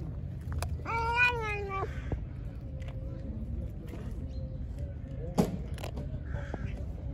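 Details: Angry, hungry pregnant stray cat that was fed and then attacked, giving one drawn-out wavering meow about a second long, followed by quiet outdoor background with a few knocks and rustles.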